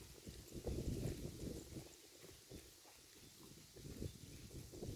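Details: Cows in a herd eating grass; soft thudding crunches of biting and chewing repeat around three times a second, strongest in the first second, then quieter irregular munching.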